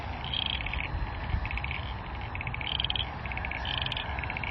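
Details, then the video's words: Frogs near an airport in Tasmania, Australia, June: high, pulsed chirping bursts, several overlapping and repeating about once a second, over a steady low rumble of aircraft landing and taking off. "Oh, and you'll have to hear the frogs with the airplanes landing and taking off around them since we're near the airport."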